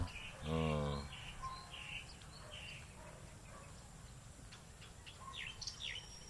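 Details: Short harsh bleat from a baby goat at the start, steady and nasal, followed by scattered high chirps of small birds and soft outdoor ambience.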